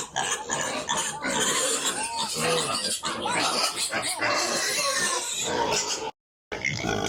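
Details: Piglets on a pig farm producing continuous overlapping squeals and grunts, loud and crowded, with a few higher sliding squeals and a short silent break near the end.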